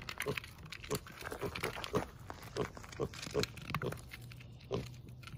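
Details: Young rescue pig at a sanctuary, playful three weeks after brain surgery, giving a series of brief low grunts at irregular intervals about half a second apart over a steady low hum.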